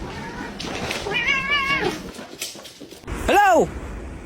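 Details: Pet cat indoors giving one short arched meow near the end, preceded by a rising-and-falling voiced sound, with people talking over it throughout.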